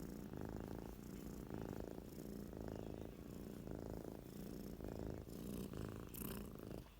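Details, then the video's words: Cat asleep and snoring, its low, buzzing rumble pulsing in regular breath cycles roughly every second, with slightly brighter breathy rasps near the end. "Super cute cat snoring"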